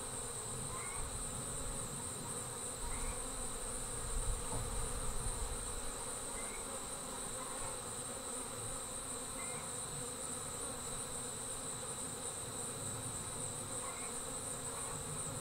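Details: Honey bees pouring out of the hive as a swarm: a thick, unbroken buzz that swells slightly midway, a steady shrill tone above, and faint chirps repeating every few seconds.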